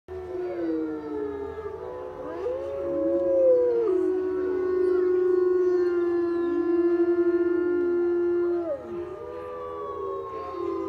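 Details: Several captive gray wolves at the Colorado Wolf and Wildlife Center howl together, long sliding tones overlapping in a rising and falling chorus.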